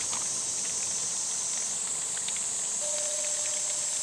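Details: Cicadas at a quiet, nearly empty forest campsite in a former school in Yecheon, North Gyeongsang, during a hot summer; a continuous, even high-pitched shrill hiss with no breaks, over faint background noise.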